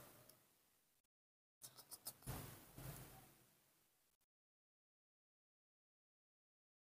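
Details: Mostly quiet, with a few dull knocks and a short scraping, rustling noise around the middle. No animal call stands out anywhere.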